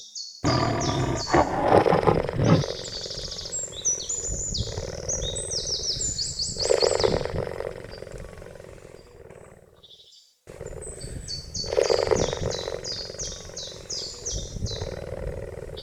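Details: Cheetah making harsh, throaty growling bursts in two loud bouts separated by a brief silent cut, with steady rapid high-pitched chirping from birds running above throughout.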